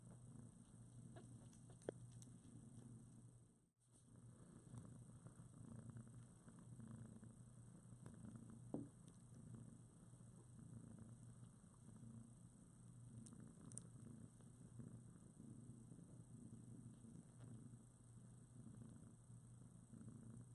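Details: Foster mother cat Priscilla cuddling her newborn litter, around two weeks old and newly open-eyed; continuous low purring throb throughout, with a short gap early on, scattered soft clicks and shuffling of fur.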